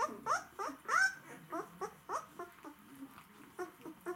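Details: White Swiss Shepherd dogs, said to be hungry, give rapid short yelping whines, each sliding down sharply, about two per second in uneven bursts, some louder and higher than others, indoors.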